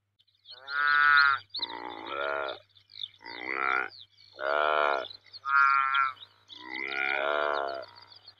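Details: Saiga antelope giving five loud, nasal, bleating calls, each about a second long and rich in harmonics, separated by brief pauses, some falling in pitch; a faint low steady hum runs underneath.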